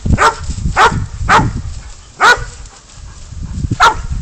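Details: Five loud, rasping barks from Spud the dog as he bays up a goat, in a loose rhythm with a longer pause before the last bark; quiet low rumble behind.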